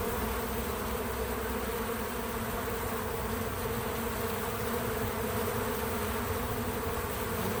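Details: Natural buzzing of bees at work around a feeder, no music: a continuous, even, low droning hum of wingbeats holding steady throughout without distinct passes.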